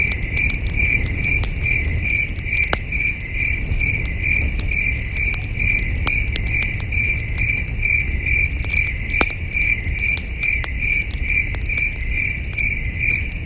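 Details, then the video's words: Distant crickets on a cool starry night at a campsite: rapid, evenly repeated shrill chirps running on without pause, with frequent sharp crackles from the campfire and a deep low-frequency hum underneath. "Soothing Cricket Sounds"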